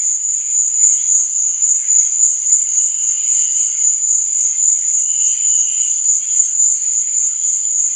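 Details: Crickets chirping at night: a constant piercing high pulse train beneath which short, lower trilled phrases come and go, most clearly near the third and fifth seconds.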